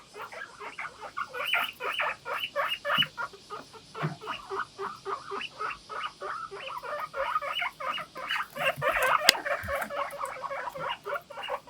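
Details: A household group of guinea pigs calls together in the morning, a 'puipui' chorus of short squeaky whistles repeated about four times a second in a steady pulsing run, louder and busier toward the end.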